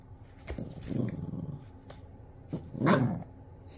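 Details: Playing pet Italian Greyhound growls in two rough, throaty bursts, the second louder near the end, with a faint steady hum behind.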